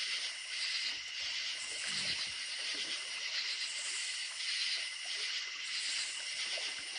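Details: Many crickets trill at night by a country creek: an even, high, ringing chorus with slight rhythmic swelling, while running water adds a quiet rushing hiss underneath.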